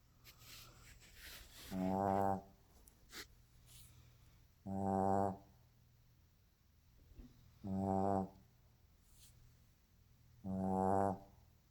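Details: A sleeping Shih Tzu snoring loudly indoors, four buzzy harmonic snores about every three seconds, each lasting under a second, with quiet breathing between.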